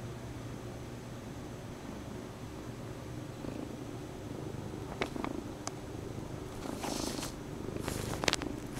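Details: Bombay cat purring while kneading a stuffed toy horse it drags around the house; a low, even purr under steady hiss, then scratchy rustling and clicks near the end.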